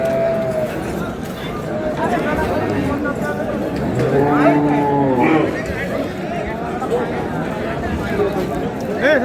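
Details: Cattle at Ambari market (হাট) in Dinajpur, cows with calves for sale, 6 April 2026: a low moo swelling and falling mid-clip amid steady crowd chatter and men bargaining.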